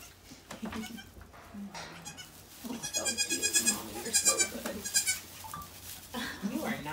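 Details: Rescued mother goat Maybel, at Goats of Anarchy on the day she gave birth to four kids, with wavering, tremulous bleats repeated in a burst of about two seconds, set among people talking softly nearby.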